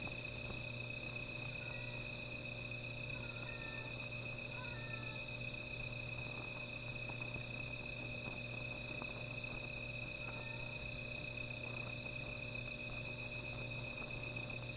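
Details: Night insect chorus near a small fire, a continuous shrill ringing held at a few steady pitches throughout, while brief chirping, bird-like notes cut in now and then over a persistent low hum.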